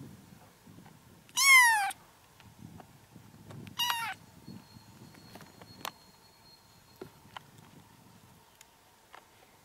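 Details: Kitten mewing, used as sounds to attract a cat: two sharp, high, descending mews about two seconds apart, followed by quiet, faint ticks and rustles.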